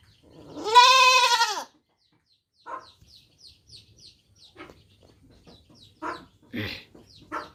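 A young goat gives a high, quavering bleat, followed by shorter, softer bleats and faint chirps.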